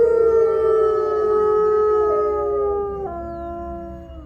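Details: A captive-born gray wolf pack of five in the main enclosure at Wolf Hollow, Massachusetts howls together, long steady tones overlapping and slowly sliding lower, with howls from neighboring wolf enclosures also audible.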